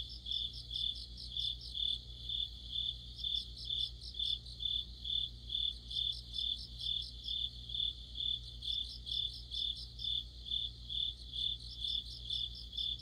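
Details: Insect orchestra of crickets in mid-autumn by a streetlight: continuous high pulsed chirping at a steady beat, with a second layer of rapid higher trills coming and going in bursts; low background hum.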